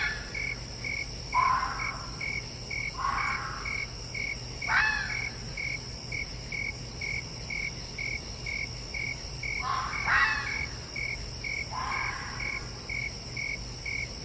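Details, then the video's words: Fox giving short, harsh, falling calls in scattered bursts, about six in fourteen seconds, one pair close together, over a constant backdrop of evenly pulsed cricket chirps repeating about twice a second. "Fox Sound Effects -Apparently they DO Actually Have Something to Say!"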